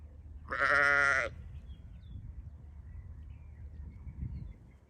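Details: Sheep on a farm giving one loud, wavering bleat lasting under a second near the start, followed by quiet background rumble for the rest.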